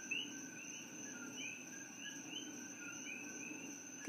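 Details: Invasive coqui frogs in Hilo, Hawaii, call in a night chorus that sounds like birds, each giving a sharp, rising two-note 'co-QUI' whistle.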